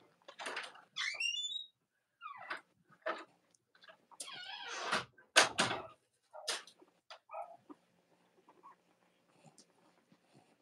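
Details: Cavalier King Charles Spaniel puppies indoors on a chilly Monday morning near Halloween in the US. High squeaky whines and squeals, some rising and some falling, come in short irregular bursts mixed with rustling and knocking noises.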